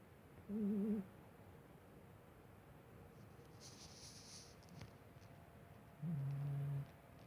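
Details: Pumba the sleeping cat snores: a brief trembling, warbled whistle, then a few seconds of hushed room noise with a faint rustle, followed by a lower, flat, steady snore near the end.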